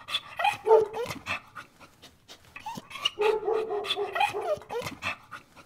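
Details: A dog gives short, tonal yips and whine-like cries that bend in pitch, in two bursts of calling with a brief pause between them, mixed with breathy panting and sharp clicking noises.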